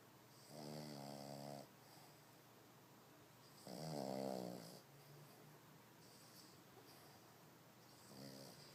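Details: Sleeping dog snoring like a human indoors: three slow, rumbling, layered snores about three seconds apart, each lasting around a second, with near-silence between them in a quiet room.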